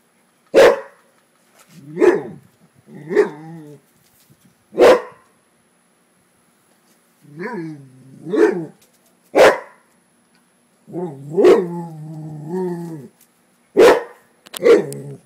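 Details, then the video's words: LuLu, a pet Rottweiler, barks at a frog she dislikes: sharp single barks alternating with longer, lower whining yelps and drawn-out barks, spaced one to two seconds apart over fifteen seconds. "Rottweiler vs. Frog"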